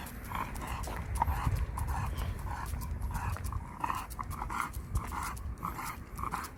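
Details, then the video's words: Kan, a pet dog, sulking after arriving home from Gageodo island, pants in quick, even breaths, several per second, over a steady low rumble in the background. "우리 칸이 삐짐"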